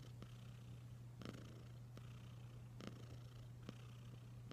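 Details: Wylla Stout, a pet cat, purring: a continuous low drone that stays even throughout, with a few soft taps and clicks overhead.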